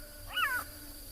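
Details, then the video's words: Black-backed jackal alarm-calling on a morning safari in a South African private game reserve, 26 March 2021, near fresh leopard tracks, a call given only on spotting danger; one short descending, harmonic yelp against a steady insect hum. "that's a black-backed jackal and they very rarely do that call unless they've spotted something that was dangerous"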